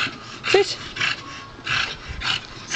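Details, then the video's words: Bulldog excitedly playing with a barrel, giving five breathy, hissing snort bursts at roughly half-second intervals, with a brief high whimper near the start and another at the end. "my bulldog and his barrell"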